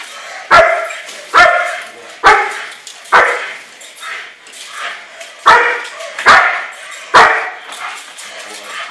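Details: Repeated deep, forceful barks from a German Shepherd during bite work, about eight evenly spaced barks, nearly one per second, with a short pause midway.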